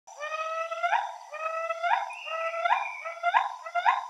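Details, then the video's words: Female and male northern gray gibbons duetting: a rapid run of rising, whooping notes, each sliding upward and ending in a sharp peak, repeated roughly every half second with rich overtones, over a clean, quiet background. "Northern gray gibbon female and male duet"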